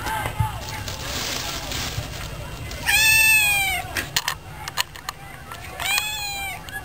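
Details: A cat meowing, about to be fed: two loud, clear meows, each rising then falling, spaced about three seconds apart, with a few sharp clicks and taps in between.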